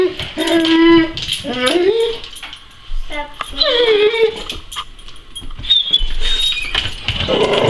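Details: Male Weimaraner indoors whining to be let outside while neighbouring dogs are out; high drawn-out whimpers, one held steady and others sliding up, mixed with a person talking to him.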